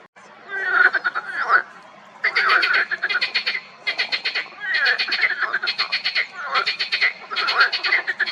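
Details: Marsh frogs in a spring pond croak in loud, rattling bursts of rapid pulses, like chattering laughter.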